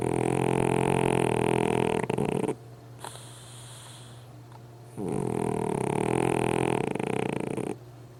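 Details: Sleeping pug dog snoring loudly: long rasping, buzzy snores lasting about two to three seconds each, separated by quieter breathing pauses, with a steady low hum underneath.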